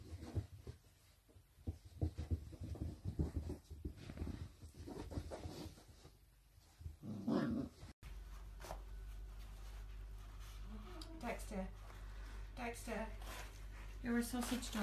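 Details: Playful sausage dog (Dachshund) puppies indoors: breathy panting and scuffling, then a run of short, harmonic yips and low growls, several in quick succession with uneven spacing, over a steady low hum.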